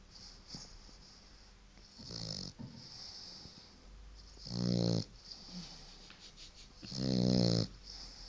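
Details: Paco, a white French Bulldog of four months, sleeps and snores: a soft breathy rasp first, then two louder harmonic snores near the end, each under a second, over steady low room hiss.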